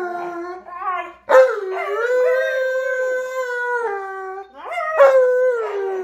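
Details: Pet snow dogs Tonka and Monroe voice New Year's wishes with a sustained, yodel-like howl, rising sharply at onset, then holding a steady, harmonic-rich tone before a second swooping howl near the end.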